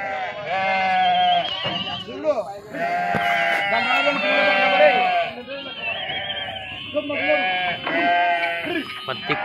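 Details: At Pattikonda market, Kurnool district, Andhra Pradesh, India, sheep jump down while being unloaded; a near-continuous chorus of overlapping, tremulous bleats, with scattered clicks and thuds.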